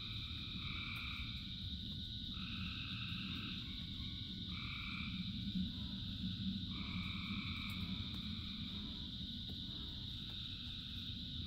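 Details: In rain, a massed frog chorus of thousands keeps up a shrill continuous trill while lower paired calls stop and start in bursts of one to three seconds; heavy rain noise fills the low end throughout.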